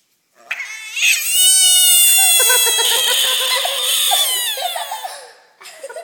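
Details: A captured pond frog gives a loud cat-like scream: one drawn-out, wavering, high-pitched cry lasting about four seconds, fading before a brief second burst at the end.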